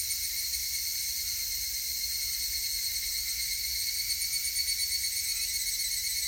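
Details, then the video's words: On 19 August 2018, higurashi cicadas keep up an unbroken high-pitched whine of several layered tones, slightly rippling, growing a touch more pulsed near the end. "セミの鳴き声 ひぐらし"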